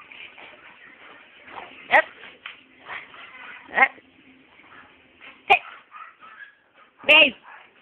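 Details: Pet dogs barking at home: four short, sharp barks spaced irregularly over about eight seconds, the last one fuller and more tonal, over a steady bed of human talking and murmuring voices.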